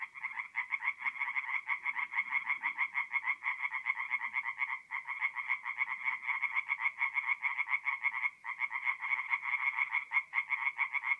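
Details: Tree frog chorus from a forest pond at night in mid-April, North-East Italy: unbroken, rapid ratcheting croaks from several frogs, rhythmic and dense, with only brief dips in loudness.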